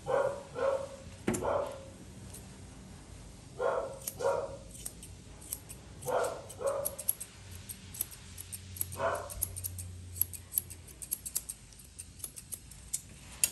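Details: Being groomed, a Poodle mix barks repeatedly in doubled bursts every couple of seconds, then falls quiet while scissors keep clicking and a low hum runs underneath.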